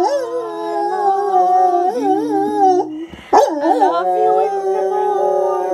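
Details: Night-time howl along from Duke, a Lab/Great Dane cross who joins the nightly parrot sing-along for just one favourite song. Drawn-out quavering howls with small pitch wobbles, then a brief noisy break and a rising-falling howl resuming.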